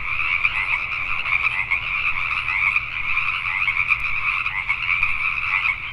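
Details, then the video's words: Many Pacific tree frogs croaking together after dark in Richmond, British Columbia, Canada; a thick, shimmering chorus that never pauses, with higher and middle tones layered steadily over a quiet low background drone. "Pacific Tree Frogs at Night"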